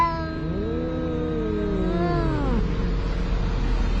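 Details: Cats quarrelling by the sea, one an orange cat: a single low, wavering yowl that swells, bends upward and then falls away, over a constant low rumbling background.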